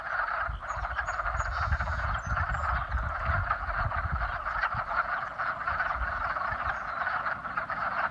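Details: Spring mating calls of many frogs: a thick, unbroken chorus of pulsing, rattling croaks holding steady for the whole stretch, a few faint high whistles near the start and low rumble below.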